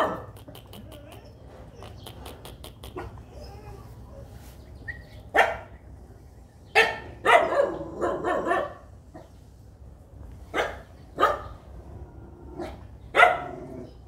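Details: Tiny baby puppies at play, following along, give short sharp high barks in scattered bursts, some in quick clusters, with light tapping and handling noises between them.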